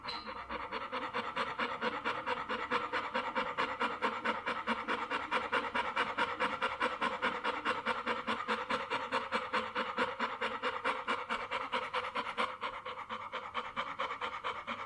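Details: Dog panting in a fast, steady rhythm of about 140 breathy huffs per minute, each a soft airy rasp, continuing without a break for the whole stretch.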